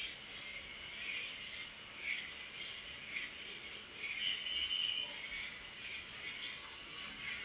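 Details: Nighttime crickets give a relentless high-pitched shrilling that swells and fades in fast regular pulses, with a few quieter, lower chirps mixed in.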